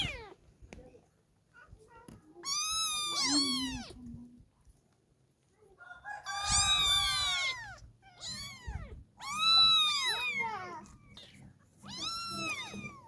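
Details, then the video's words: Kittens meowing repeatedly, with arched calls coming in bursts and overlapping around the middle, as if more than one kitten calls at once. "Cute Kittens Meowing Contest"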